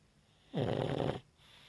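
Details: Single harsh, rattling snore from Dollar the Pug while asleep, rising abruptly, holding rough and noisy for under a second, then cutting off into quiet breathing.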